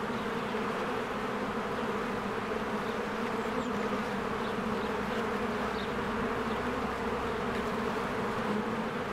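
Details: Bees swarming in and out of their hive in spring, with flowers blooming: a dense, steady low hum runs throughout, while faint short bird chirps sound higher above it.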